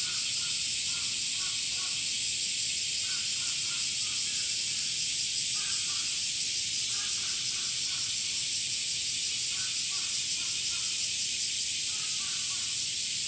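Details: Male cicadas in summer producing their tymbal song: a continuous, intense high buzz lasting the whole recording, faintly pulsating, while quiet clusters of short lower chirps recur every couple of seconds in the background.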